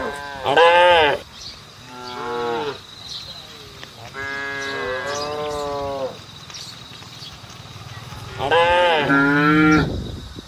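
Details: Roadside cattle calling to the herd with four rough, harmonic moos spread over ten seconds. The first and last are loudest, and the two in the middle are softer and longer.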